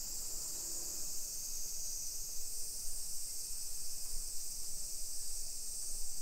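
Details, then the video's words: Cicadas in summer along suburban streets of Nisshin city near Nagoya, Japan, 1 PM, 28 July 2021, produce an unbroken shrill buzzing wash, level and even, over a soft low background rumble of the neighborhood. "Summer Cicadas Sounds"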